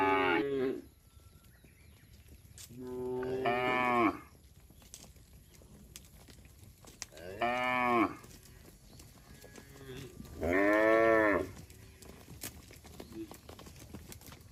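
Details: A herd of cattle walking on the road moos at irregular intervals, four rich, arching calls of one to one and a half seconds each, separated by quiet gaps with distant faint chirps.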